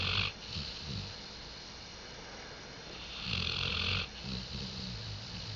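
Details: A dog snoring, recorded 05.10.2011: slow rasping breaths with a hissy, airy intake roughly every three seconds over a low rumbling rattle.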